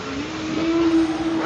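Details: A group of humpback whales calling to each other, recorded underwater on a hydrophone: a smooth, tonal moan that slides gently upward and holds steady.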